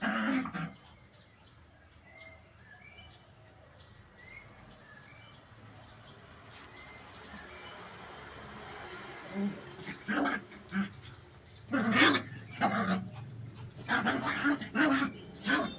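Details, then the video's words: Puppies playing in a tight area, running and jumping; a golden retriever named among them. Short sharp yaps come in bursts during the second half, about ten in quick clusters, after a quieter start with faint chirps and background hiss. "puppies play in tight areas, run, jump n bark. cute puppy barking.."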